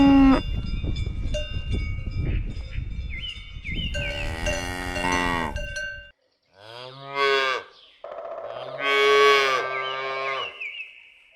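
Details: Cow on a farm giving three loud, drawn-out moos after about four seconds. Each is a low, rich lowing call, the last one longest. Chiming music and bell tones fill the opening seconds.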